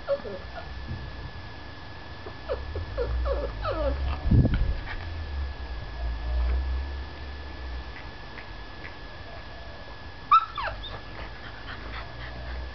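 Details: Male chow chow whimpering: a run of short, thin, falling whines in quick succession, a pause with low rumbling noise, then one sharper, higher whine near the end.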